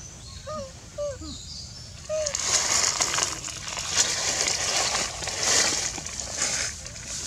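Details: Baby monkey Allie crying softly, as she does every day, with her head on the ground: a few short, soft, arched whimpering cries in quick succession in the first two seconds, then loud rustling and splashing noise.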